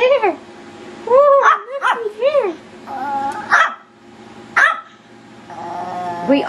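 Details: Yorkshire Terrier puppies in wild play: high, wavering yips and squeaky barks, a few in a row then a pause, mixed with human speech.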